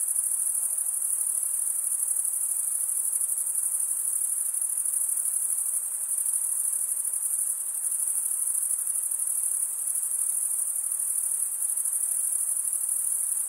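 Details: Unbroken high, thin cricket trill from males stridulating with their wings, steady in pitch and loudness throughout, with only faint background hiss.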